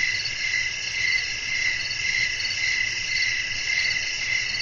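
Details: Chirping crickets in a relaxing night soundscape with wind, several insects trilling together in a bright, high, unbroken buzz that swells gently about twice each second.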